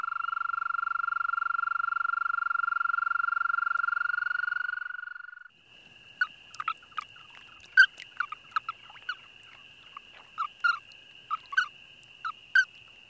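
An American toad gives a long, steady, musical trill on one pitch, followed by scattered clicks.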